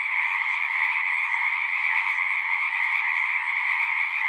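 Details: Pond frogs in a horse pasture sing together as an unbroken, ringing mass of overlapping trills, even in volume from start to finish; Zoom recorder, nothing else clearly heard.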